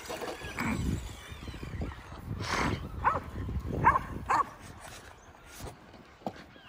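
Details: Kerry Blue Terriers playing outdoors with a radio-controlled Traxxas E-Revo car, giving short arched barks and yips around three to four seconds in, with rumbling engine and ground noise beneath and scattered voices.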